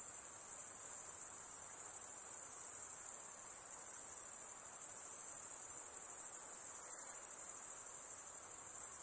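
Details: Unbroken high, needle-thin insect drone with a rapid fine pulsing texture and very even volume throughout, no other creatures or noises audible.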